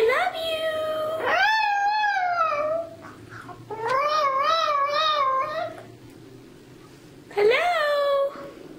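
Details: Chuy, the Chihuahua mascot of Irresistiblepets.net, sings three drawn-out howls, the first rising then holding, the middle one wobbling up and down, the last short and sliding downward.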